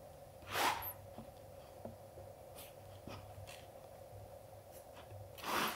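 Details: Golden Retriever father snorting at his son, a puppy, to tell him playtime is over: two short, breathy, noisy bursts, one near the start and one at the end, over a steady low indoor hum in a quiet room.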